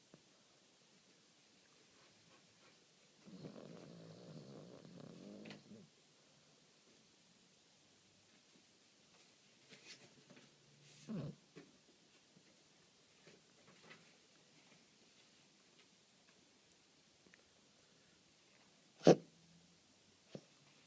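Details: Lady, a pet guinea pig, snoring while asleep in May 2013: one low, buzzy, rasping snore lasting about two and a half seconds, followed by near silence with faint rustles and a sharp click near the end.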